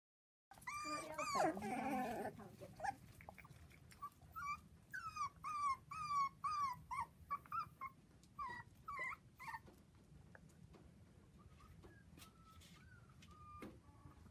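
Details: Seven 4-week-old Dachshund puppies playing with children on a trampoline give a steady run of high, thin whimpers and squeaks, short rising-falling cries repeated about twice a second, with a louder rough burst near the start.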